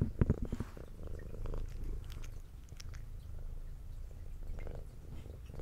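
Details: Female brown tabby cat with white underside purring while eating: continuous low throbbing purr under crisp clicks and bites of chewing, loudest at the start, in a quiet indoor room.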